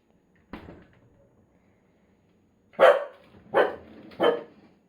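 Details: Corgi indoors barking whenever the middle freezer compartment of the fridge is opened, though it stays quiet when the upper door opens; one softer bark, a pause, then three loud, sharp barks in quick succession.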